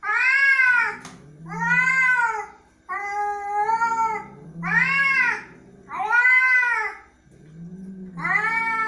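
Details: An angry cat gives loud, arched yowling meows roughly every one and a half seconds, with low growls running between them; harsh, strained and wavering throughout.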